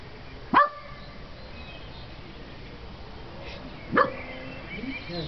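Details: Roe deer walking through a garden at 9 pm on 14 May 2006, giving two short, harsh, loud barks about three and a half seconds apart over quiet background, with a faint softer sound near the end.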